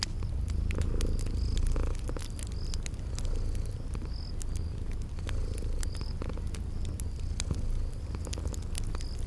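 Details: Cozy kitties purring as they sleep: a low, even rumble with gentle rhythmic swells, set against crackling fire snaps and occasional high insect chirps in a spring garden setting.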